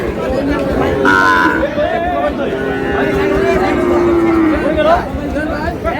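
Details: Sahiwal bull at a cattle market in Chittagong; a long, steady moo slowly falls in pitch, with a shorter call before it, amid busy crowd talk.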